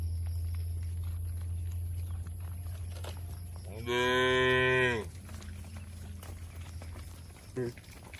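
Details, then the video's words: Tame cattle kept in a village shed, one loud, richly harmonic moo lasting about a second with a falling tail, a faint lower echo after it, and a constant low hum behind. "Suara Sapi Moo Lucu & Menghibur"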